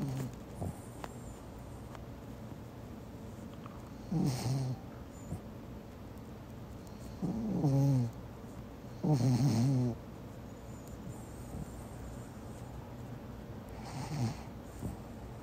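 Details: Pomeranian named Meatball asleep and snoring. Low, rough snorts swell at about 4, 7.5, 9 and 14 seconds, separated by quiet breathing and faint room hiss.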